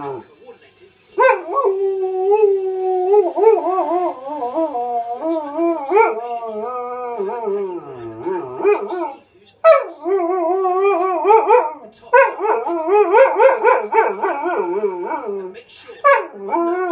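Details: A Malamute husky cross dog answers wolves on a Steve Backshaw TV show. One long sustained howl slides downward, then a series of rising and falling, modulated 'talking' phrases follow after a brief gap.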